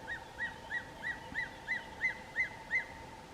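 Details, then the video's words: In winter-morning bushveld by a dam, a tree squirrel gives a repeated sharp chee-chee alarm, about three calls a second, warning other squirrels of a nearby dark chanting goshawk; faint constant hum. "But what's more interesting is if you listen closely, you can hear a tree squirrel that's alarm calling."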